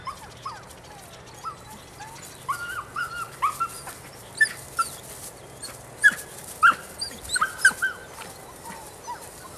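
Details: Nine-week-old female Rodin/Katana puppy giving a string of short, high, thin whimpers and yelps, scattered irregularly across the recording and growing louder and closer together toward the end, over a faint low hum.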